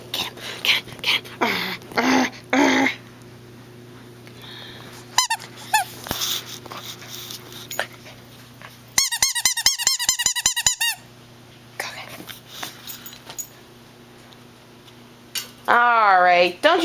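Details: Golden retriever puppy Remmy indoors, fighting his new squeaky shark toy: rough, gruff vocal bursts early on, a long stretch of rapid high toy squeaking, then a rising whiny squeal near the end, with occasional human speech.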